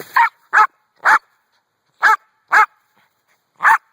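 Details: Brandy, a pet dog, barking at a rock: six sharp, loud barks at uneven gaps of about half a second to a second, with silence between them.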